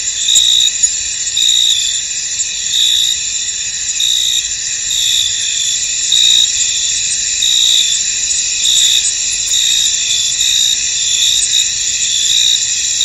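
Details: Field cricket chorus in mist: unbroken high, sizzling trill with louder pulses swelling at irregular intervals, close to one each second, and no other sounds standing out.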